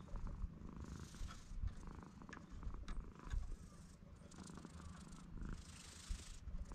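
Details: Stray cat on a cat island under a blue sky, purring: a steady low rumble with rapid pulses, rising and falling in loudness over about seven seconds, with broadband hiss and rustling above.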